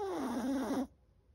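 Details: Seven-month-old Chihuahua Chocolate snoring while asleep: a short, loud, reedy whistle-snore that drops in pitch, wavers, then stops abruptly into near silence.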